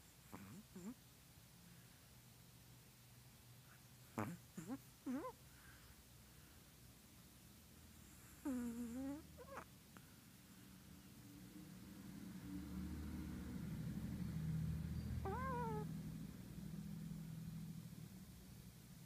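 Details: A Chihuahua dreaming in its sleep indoors makes scattered squeaky whimpers and short whines, with a sliding cry midway. Soft, low snoring breaths rise beneath, and a brief nasal whine comes near the end.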